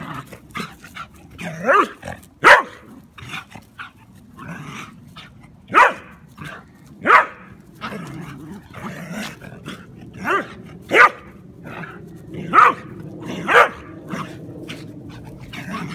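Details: Rooney, a German Pinscher, harasses his Rat Terrier housemate Beebee; irregular bursts of sharp barks and yips scattered over sixteen seconds, some overlapping, with steady background noise between them.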